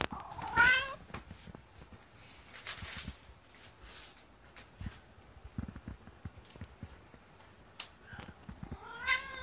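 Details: Kotetsu, a greedy pet cat, begs for food two hours before mealtime. A drawn-out harmonic meow opens the recording and another closes it, with soft rustles and faint taps between.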